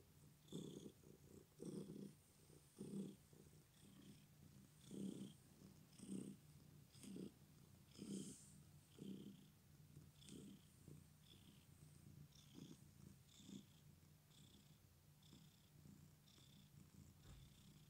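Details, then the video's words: Purring from a male domestic cat despite his injured leg: a deep, even rumble pulsing with each breath about once a second, in and out, with soft airy hissing layered on top, indoors. "My cat's leg is injured but he still purrs"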